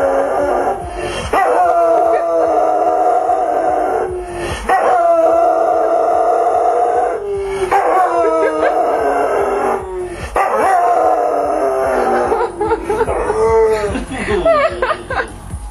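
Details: Pet dog howling along with its owner, a dog that also howls at sirens even far away; long sustained wavering howls in overlapping voices, several drawn-out phrases each lasting a few seconds, with music and a man's voice joining in.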